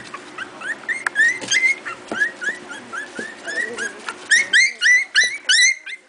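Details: A new litter of four-week-old Miniature Pinscher puppies playing: quick, high, squeaky yelps and whines tumble out several per second, growing louder and denser toward the end in an excited overlapping chorus.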